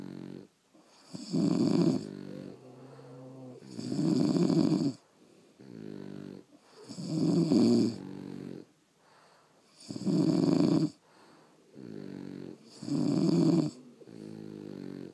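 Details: French Bulldogs asleep indoors produce rhythmic, gravelly snores, six loud rattling bursts about every three seconds, with quieter snuffling breaths between them.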